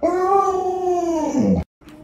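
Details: Luoluo the Alaskan Malamute lets out a level, drawn-out howl lasting about a second and a half, dropping sharply at its close before cutting off into silence.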